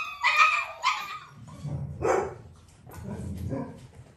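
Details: Nearly six-week-old Dalmatian puppies during a clicker training session with their mother Arya nearby: two sharp, high yipping barks in quick succession, then a third shorter bark after a pause, with low household rumble underneath.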